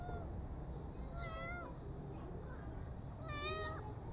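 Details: Two drawn-out, high-pitched meows from a rescued street kitten, the second louder and slightly wavering, separated by a quiet pause with faint background hum.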